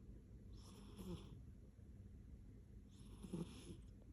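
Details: Contented pet cat named Popo snoring softly: two slow, breathy, hissing snores about two and a half seconds apart over a steady low hum.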